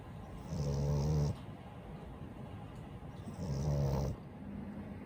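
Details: French Bulldog Daifuku, a household pet, snoring: two low, vibrating snores about two and a half seconds apart, with a faint nasal whistle between them.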